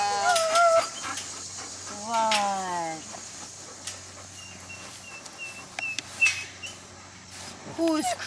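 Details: Young gray wolves (Canis lupus) give wavering, whining howls that slide downward, happily greeting their returning human caretaker, June 2008.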